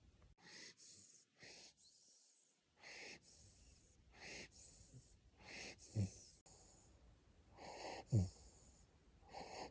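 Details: Siberian Husky puppy asleep in Japan, breathing in raspy, wheezing snores roughly every two seconds, uneven in length, with sharper snorting bursts near the middle and later in the sequence.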